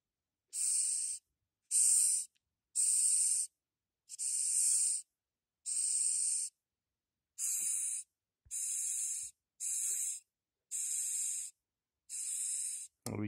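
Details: A small Madagascar hissing cockroach, bought as feeder insects, gives a run of sharp, airy hisses, each about half a second long, when touched, pushing air out of openings between its body plates.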